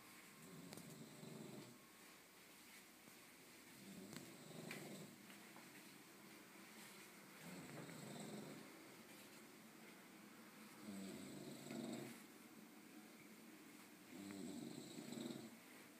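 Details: A dog snoring loudly while asleep: low, rasping breaths swell and fade in slow cycles about every three to four seconds, with quiet gaps between, over faint room hiss.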